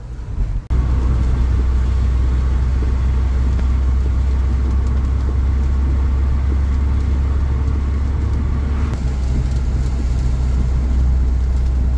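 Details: Loud, constant engine drone from a car or van starts after a brief click, and no animal sound is heard.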